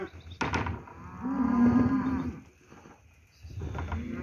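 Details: Steers at Lago Escondido, lot 17, giving one sustained low moo lasting about a second, with a sharp knock before it and another moo beginning at the close.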